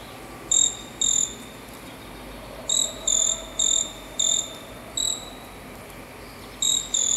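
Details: A caçula, a cricket-like insect called a tailless flying "bird" locally, gives short, high, buzzy chirps of about a third of a second each at uneven intervals over a soft hiss.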